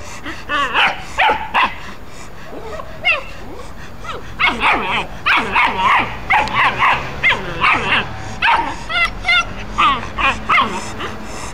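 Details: Dogs at play, a calm German Shepherd male named Gordon with a Pit Bull puppy: a rapid, almost continuous run of sharp high yips and short barks, pulsing several times a second for the whole stretch.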